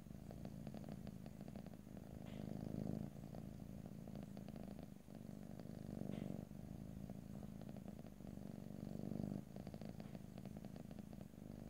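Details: Purring pet cat recorded in stereo for an ear-to-ear ASMR session with no talking; long rumbling stretches with quieter breath gaps every few seconds, plus occasional soft brief higher-pitched noises.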